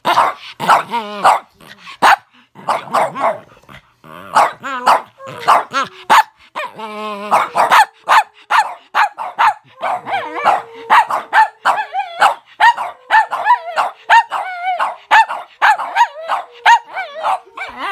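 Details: Small dogs, a Boston Terrier and a Pomeranian that hate being filmed, barking at the camera: rapid sharp yappy barks repeated steadily, some with rough growly edges, one dog's overlapping calls dense throughout.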